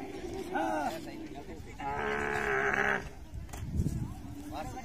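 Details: Dromedary camel in musth, white froth coming from its mouth, gives a drawn-out harmonic groaning bellow of about a second after shorter moans, with human voices close by.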